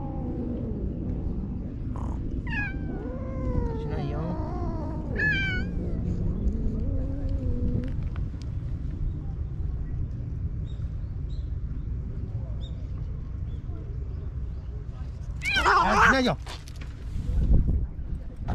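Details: Springtime standoff between stray park cats in Japan: drawn-out, quavering yowls for the first eight seconds, then a quieter stretch, then a loud, harsh, screeching outburst near the end, with a woman softly telling them not to fight.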